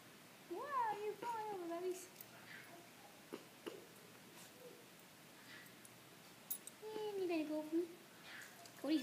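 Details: Shiba Inu puppy hanging out on a couch indoors with its family, giving high, arching whiny calls in two bursts, one near the start and another later, with quiet human voices and household sounds between.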